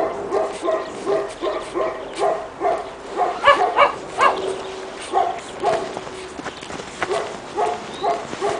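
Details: Pekingese puppies, two and a half months old, first time outside in snow in Tallinn, Estonia, barking in a steady series of high yaps roughly every half second, a louder cluster around the middle.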